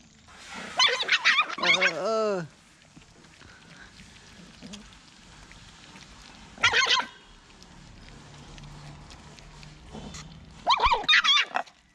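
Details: Poodle giving birth to seven puppies of identical colour: bursts of high, harmonic whining cries, the first group falling in pitch over about a second, with shorter cries around seven and eleven seconds and quiet pauses between.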